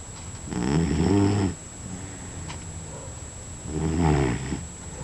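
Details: Nick, a pet dog, snoring in his sleep: two long, low, rattling snores about three seconds apart, rough and buzzy, over a faint steady high whine.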